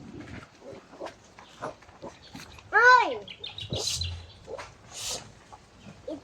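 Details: Goat at feeding time, one loud wavering bleat with stacked harmonics near the middle, amid people talking and scattered shuffling noises.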